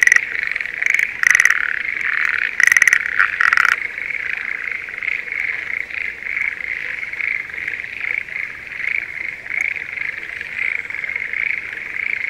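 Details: Schlegel's green tree frogs calling in a spring rice paddy near Sendai, Japan, during breeding season. A few loud, pulsed rattles open the recording, then a softer, even chorus of distant frogs continues.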